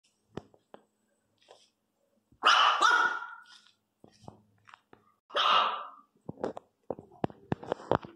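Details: Teco, a three-month-old Miniature Pinscher puppy, crying loudly: two harsh, strained yelping cries about three seconds apart, each under a second long, between scattered soft clicks, taps and short snuffling noises.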